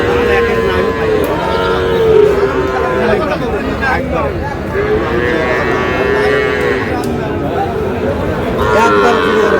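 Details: At a Bangladeshi cattle market in Munshiganj on 11 August, where a farmer buys a six-month-old Sahiwal bull calf, cattle moo repeatedly with sustained, slightly bending tones, while traders' voices and crowd bustle fill the background.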